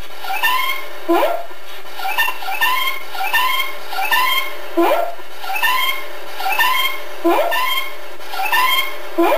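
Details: Ozzy the cat, a domestic kitty, recorded on September 27, 2013, giving a long run of bright, harmonic meows, each with a rising then slightly falling contour, repeated roughly once a second with brief pauses between.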